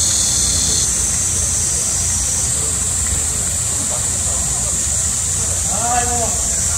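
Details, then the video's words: Cicadas in midsummer during a heat wave, a piercing steady drone whose pitch shifts slightly early on, with faint low rumble and a brief voice-like sound near the end. "한여름 매미소리 - 데시벨이 엄청 나네요"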